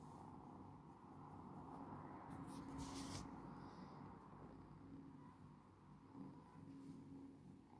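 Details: Domestic cat purr, a continuous low drone pulsing with its breathing, broken near the middle by a short burst of brushing or rustling noise.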